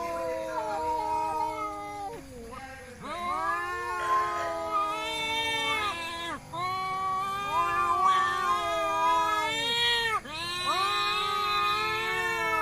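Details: Village cats Cuan and Cimo in a fight, producing continuous overlapping growling yowls, low drawn-out moans rising into higher wavering wails, restarting with sharp swoops about every three seconds.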